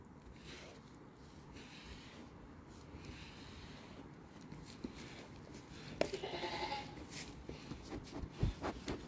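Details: Jealous domestic goat in the United States, trying to take the brush while its owner grooms another goat; a short harmonic bleat rises near the end over steady scraping and rustling brushing noise.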